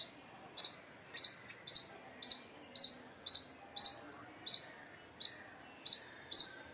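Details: Loud chirping of an Indian palm squirrel from India. Piercing, high single chips come roughly twice per second with short, even pauses and a quiet background.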